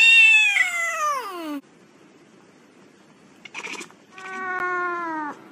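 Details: Domestic cat from a funny cat compilation gives a high meow falling in pitch, then a pause, a brief noisy burst and a second steady, level meow.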